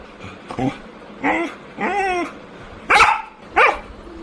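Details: Labrador Retriever giving a series of short harmonic barks and yips, some rising then falling, about five calls spaced roughly half a second apart, with faint background noise.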